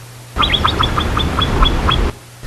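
A Himalayan marmot gives a rapid run of short, sharp whistled chirps as an alarm call.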